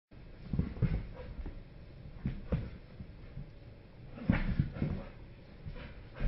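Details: Diesel and Oskar, an American Staffordshire terrier and a French bulldog, play-fighting indoors: low rumbling grunts and growl bursts arrive in irregular clusters, loudest near the start and again after four seconds, with scuffling between them.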